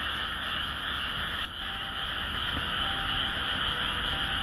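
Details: Frogs singing in the Japanese countryside: a dense, unbroken chorus of overlapping croaks and trills forming a steady wall of sound, with a brief dip in loudness about a second and a half in.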